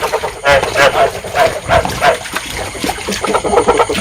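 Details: Calling field frogs used in Vietnam as a trapping lure to stimulate breeding: rough, harmonic croaks pulse rapidly in short bursts, several callers overlapping, tapering off midway before a fresh run of quicker notes.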